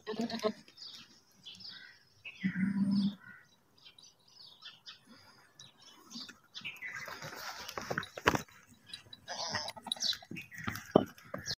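A goat gives a single short, wavering bleat amid chirping birds and scattered background noise.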